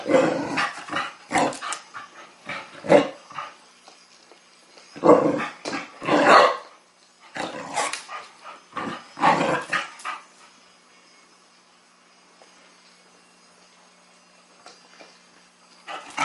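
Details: Sasha, a Chow Chow puppy, challenges a mechanical ball on first meeting it; rapid clusters of harsh barks and growls fill the first ten seconds, then near silence with a faint hum.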